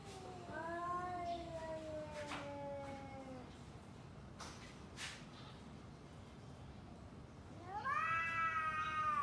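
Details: Two domestic cats trading long drawn-out yowls before a fight: harmonic wails slowly falling in pitch over about three seconds, a pause with faint clicks, then a loud rising howl near the end over steady background hiss.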